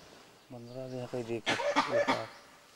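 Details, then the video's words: Gray langurs in Bandhavgarh National Park, Madhya Pradesh, in October 2010 alarm-call at an unknown predator: a low droning hoot then three or four harsh, loud barks within about two seconds; peacocks also heard. "Langur Alarm Calls"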